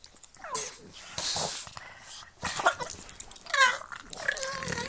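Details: Pug and Boston Terrier play-fighting with their mouths, giving strained, wheezy growls and whines in short uneven bursts, with snorting breaths and scuffling between calls.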